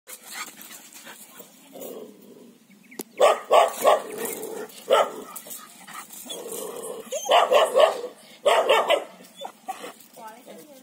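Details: Eight-month-old female Kombai, a Tamil Nadu native breed kept for breeding, gives short barking bursts in uneven clusters, mixed with softer vocal sounds and background noise.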